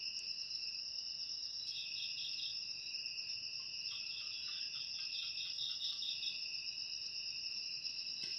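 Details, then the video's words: Several crickets hold a constant shrill high trill, for ASMR aimed at chasing rats away. Stretches of fast stuttering chirps come and go over the drone, with a faint low hum beneath. "Suara Jangkrik"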